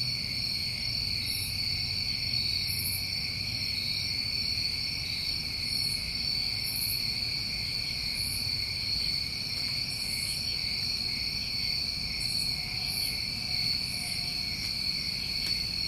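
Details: Many New England crickets in summer trilling together, a constant shrill hum at several high pitches, with repeated brief high hissing chirps roughly every second or two and a low background rumble.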